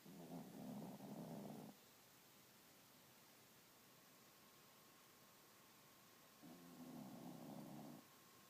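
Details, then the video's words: A 12 lb pet dog dozing through a lazy morning, giving two drawn-out, raspy snores about five seconds apart, each lasting over a second, with quiet pauses between. "the snoring 12 lb dog"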